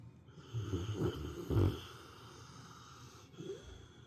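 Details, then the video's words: Napping female dog snoring like an old man: two short, low, rattling snorts close together, then a quieter breath near the end, over a faint steady indoor hum. "犬のいびき～Dog snoring～"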